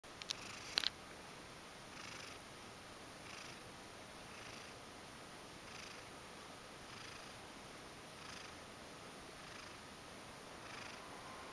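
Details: Mojio, a Ragdoll cat, purring after coming over to ask to be stroked. Soft, breathy pulses repeat steadily about every 1.2 seconds against a quiet hiss, with a couple of sharp clicks near the start.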